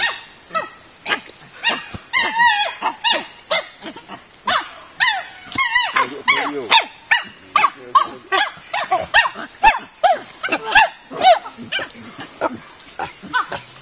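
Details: Chimpanzees in the 18-hectare natural habitat enclosure of the Nigerian Chimpanzee Centre, Afi Mountain Drill Ranch, Nigeria, giving a dense chorus of loud, harmonic hooting and screaming calls in rapid bursts, several voices overlapping throughout.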